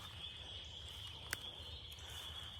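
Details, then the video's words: In late April, spring peepers in woods around a lake beside a cow pasture form a dense chorus of many high, piping peeps that blur into one steady, shrill ring. "Searching for firewood, and you can hear the spring peepers going crazy."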